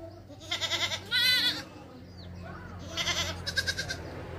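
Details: A goat and its kid bleat in a series of high, quavering, nasal cries over a low steady hum.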